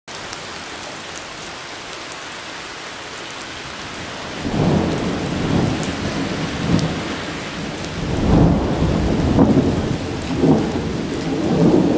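Steady rain patters throughout, with low rumbling thunder rolling in after a few seconds; no animal voices are heard.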